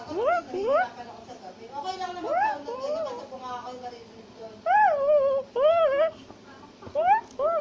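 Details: Black-capped or tufted capuchin climbing a tree in South America, shouting and chattering: loud rising whines and wavering arched cries in clusters, some sliding up then down, separated by quieter chatter.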